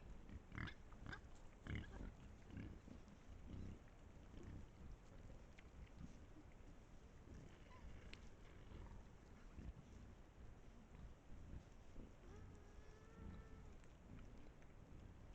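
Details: Pack of wild boars caught by a trail camera in Estonia, giving low, irregular grunts and snorts through the first half. A brief whistled tone sounds near the end, over faint background rumble.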